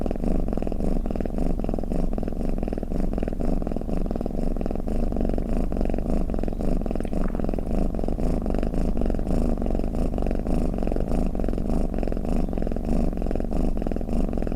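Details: Continuous low purring and snoring from a domestic cat, a dense throbbing rumble with fast regular pulses and unchanging loudness from start to finish.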